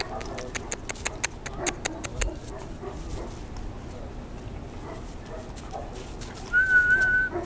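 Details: German Shorthaired Pointer puppies, 14 weeks old, from a Squirrel x Freya litter including Misty and her brother Skipper, at play on 02 08 22; a run of sharp clicks and taps comes first, then one thin, steady whine near the end.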